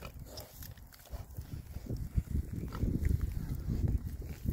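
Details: Rare breed Oxford Sandy and Black pigs, six boys, foraging happily in winter between storms; dense low rumbling grunts and snuffles, irregular and overlapping, concentrated in deep tones with rustling ground noise.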